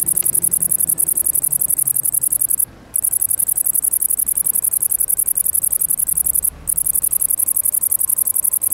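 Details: Steady piercing high buzz from a great green bush-cricket (Tettigonia viridissima), rapid pulsed chirring that stops twice for a moment before resuming, over low background hum.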